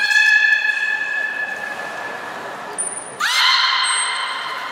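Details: Beluga during gate training at Port of Nagoya Public Aquarium, 3 May 2019, before the 11:00 public training session: steady, richly harmonic tonal calls held for seconds. A sharp rising onset starts a second call, over brief thin high whistles.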